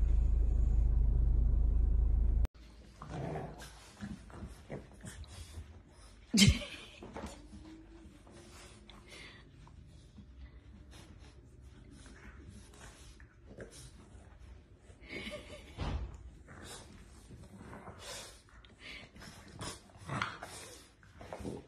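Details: Pet French Bulldog heard in a compilation of cute clips, making low throaty grunts and short growling sounds with a few soft whimpering yips. A steady low hum opens the clip, and a sharp thump and household noises follow.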